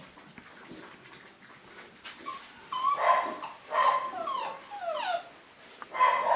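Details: Litter of young Cavapoo puppies, newly vaccinated and kept by breeders in the UK in 2015, whimper in thin, whining bursts that bend up and down, several overlapping, with faint high squeaky chirps above.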